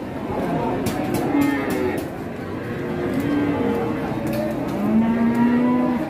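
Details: Angry cattle charging as they come down from a truck give overlapping low, drawn-out moans and bellows, some rising then sliding, with a busy background of rustling, knocks and faint music.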